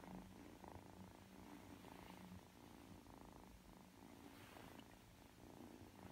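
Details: Young Ragdoll cat, three months old, kneading and settling to sleep indoors; a deep, even purr throbbing in breath-length cycles of about a second, close and steady throughout.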